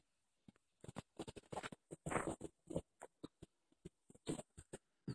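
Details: Angus and Seamus, two pet ferrets, tussle in play, a dense run of rapid chuckling bursts, several per second, rising into a longer louder huff midway before continuing in uneven pulses.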